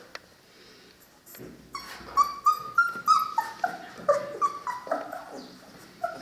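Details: Three-week-old Cane Corso puppies whining in a busy run of short, high, wavering whimpers and yips, several each second, rising and falling in pitch, with a few faint clicks before they start.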